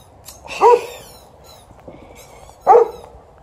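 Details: A 12-year-old Golden Retriever, TJ, demands a game of fetch after the morning walk while an Alaskan Malamute is around. Two loud, resonant barks sound about two seconds apart.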